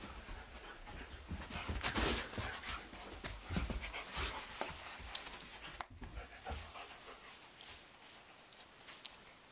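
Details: Two dogs, Blondi the German Shepherd and Sugar Tree the Doberman, wrestle in a living room in April while young sheep Dasher and Edie watch. Heavy rapid panting and dense scrambling noise, loudest early on, then easing into softer breaths and a sharp click.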